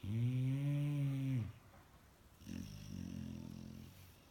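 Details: Sleeping Labrador Retriever puppy Bella giving one long, deep, rasping snore lasting over a second, then a quieter, breathy exhale after a short pause, indoors.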